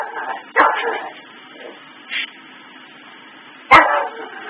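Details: Indoor pet dog reacting to Christmas tree lights looping on and off; two loud barks about three seconds apart, each trailing into a drawn-out whine, with a short softer yelp between them.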